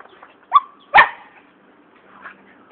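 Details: Chihuahua in Ulu Tiram, in action: two short, sharp barks about half a second apart, the second louder and harsher, followed by quiet with a faint softer sound near the end.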